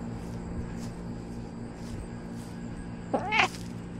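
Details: Domestic cat wearing a camera while encountering a squirrel: one short meow late in the clip, rising then falling with a bright harmonic stack, over a steady low hum and faint rustling.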